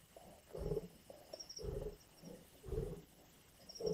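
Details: Growling lions over a kill in Indian bush: gravelly low rumbles rise and fall in uneven bursts roughly each second, with faint high bird notes above.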